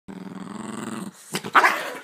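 A Lhasa Apso gives a low, rattling growl, then breaks into two sharp, harsh barks.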